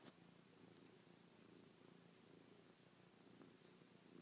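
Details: Affectionate house cat Chloe purring as she kisses, paws and licks her owner's face; continuous low buzzing rumble, even and unbroken, with faint soft rustling.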